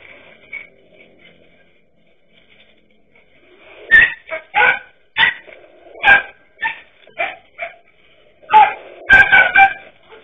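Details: Dachshunds confronting a king cobra; after a quiet opening, sharp harmonic barks burst out around four seconds in, coming in irregular bursts, with a cluster of rapid overlapping yaps near the end.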